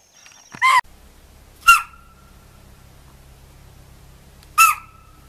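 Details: Spotted deer (chital) alarm in forest: three sharp, piercing barks, the first strongest, the next two about three seconds apart, each ending in a thin lingering tone, with low rumbling background between calls.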